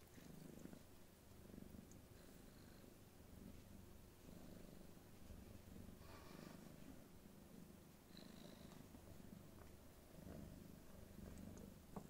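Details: Somali kittens in 2019, two playing while another sleeps undisturbed; a continuous low, pulsing purr fills the recording, with faint rustling and a brief high squeak near the middle.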